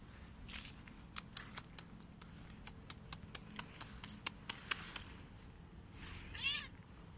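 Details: Korat cat playing on a tree and running in a garden in autumn; one short, rising-then-falling meow near the end, set against scattered sharp clicks and taps from play.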